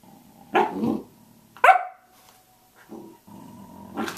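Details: Samoyed barking at 6:00 a.m.: two loud, harsh barks about a second apart, the second trailing into a steady thin whine, then softer grumbling vocal sounds and a final rough bark.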